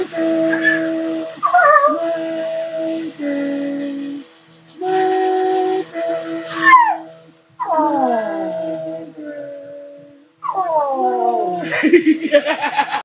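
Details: Pet Miniature Pinscher howling when its owner called its name. Long, drawn-out tonal howls in several phrases separated by short pauses, some held steady and others sliding downward, ending in wavering, broken notes.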